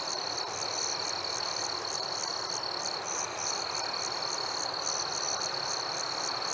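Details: Summer-night crickets: a sustained piercing trill underneath brisk, regularly repeating high chirps, roughly three to four per second, steady and unbroken, over a gentle wash of background noise.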